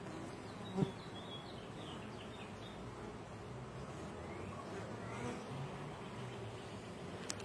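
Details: Honey bee workers pass nectar from one to the next, producing a steady, low, droning hum with a constant rough texture.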